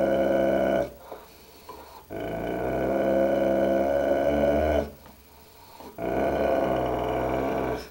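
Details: Dogue de Bordeaux growling at its own reflection in a mirror indoors: long low rumbling growls with rich harmonics, each lasting several seconds, separated by short pauses, a man's voice telling it to stop right after.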